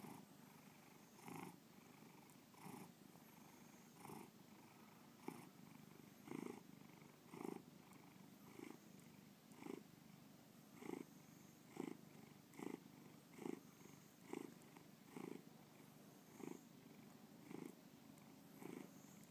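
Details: Bubba, a pet cat, purring indoors, shown in the BubbaPalooza art show at Breakneck Gallery, Lakewood, Ohio, 2013; a steady low rumbling purr with soft pulses swelling roughly every second, close and quiet.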